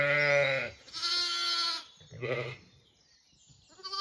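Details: Zwartbles lambs on a regenerative farm in County Kilkenny, Ireland, old enough to explore slightly away from their mothers, who are having breakfast. Loud harmonic bleats, one long and one higher, then a shorter wavering one and a faint start of another.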